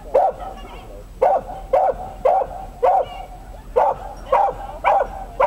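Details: A Dachshund at an agility trial, the Römercup in Trier in 2012, barks in short, sharp bursts, roughly two every second.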